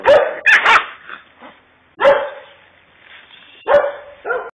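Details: Kangal dog, described as a Kurdish fighting Kangal, letting out a few deep, harsh barks spaced over several seconds, with short pauses of near quiet between them.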